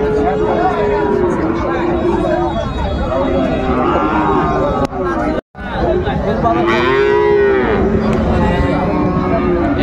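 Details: Bull calves, Friesian and cross-bred, for sale at Raniganj market in Dinajpur, 26 December 2024. Mooing cut into by busy crowd chatter and a brief dropout, with one clear, long, bending moo near the end.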